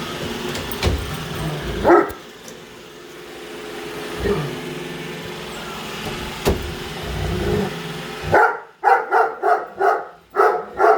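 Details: Indoors, a female Great Dane called Padme confronts a new Roomba; the vacuum's steady droning hum first, then a rapid string of about seven deep barks at the end.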